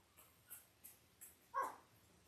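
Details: Newborn Labrador Retriever puppy, five days old, one of eight in Belle's litter born October 15, 2023, on a live puppy cam; faint ticking sounds lead into a single loud, brief, tonal squeak.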